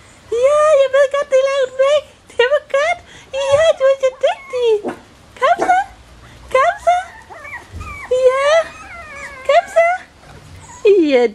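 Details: A chorus of whining Bichon Frisé puppies, litters O and P, at Vejles Lille Kennel: steady high cries broken by upward-sweeping squeaks and short yips, about twenty bursts a minute.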